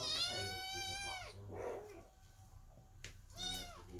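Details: Worried kittens sitting under the door, meowing while their mother Chloe gives birth inside; a long, bright, high meow that bends downward at the end, a pause with a soft clunk, then another rising meow.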